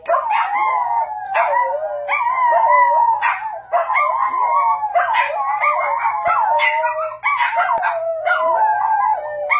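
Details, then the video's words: Howling from a dog, or more than one, with overlapping wavering lines and sharp yipping breaks roughly every second throughout, dense and loud. "DOG HOWLING SOUNDS"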